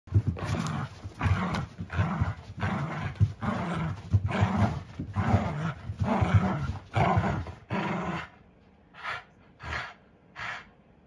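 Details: An 11-year-old Pugapoo (pug-poodle mix) dog makes rough, low growling grunts, repeated about once a second.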